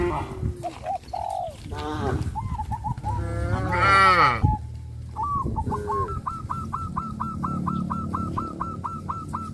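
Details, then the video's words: Herd of cattle moving toward green grass fields on a traditional village farm: one loud, wavering moo rises and falls mid-clip among lower calls, then a bird's rapid, evenly repeated chirps take over. "A herd of cows heading towards the green grass fields, sound of cows"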